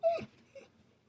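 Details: A dog trained to mimic speech, prompted to say "no", gives a short, tonal, whine-like 'no' that drops in pitch at the end, then a softer echo.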